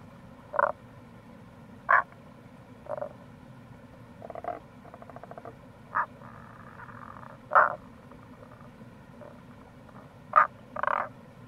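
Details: Wild Tago's brown frogs recorded in April by a gorge of the Kamo River, Itoshima, Fukuoka, Japan: clipped low croaks scattered irregularly, with a rapid pulsed rattling call and a longer grating note, over continuous flowing-water noise.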